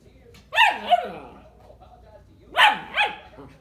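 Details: German Shepherd Dog puppy wanting to play: two pairs of sharp, high yipping barks, each dropping quickly in pitch, the second bark of each pair softer, with a quiet pause of about two seconds between pairs.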